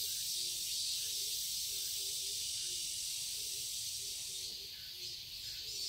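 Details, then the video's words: Garden cicadas in Seoul, Korea, on a summer day, droning in a continuous bright buzz. A low, soft note repeats about twice a second underneath, and the buzz swells slightly near the end. "Cicadas chirping sounds"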